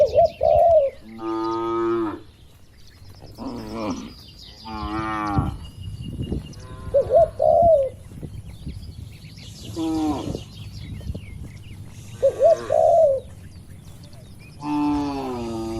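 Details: Tame cattle in a herd roaming and grazing on a wide oil palm plantation; several long, deep harmonic moos a few seconds apart, with short rounded cooing bird calls between them.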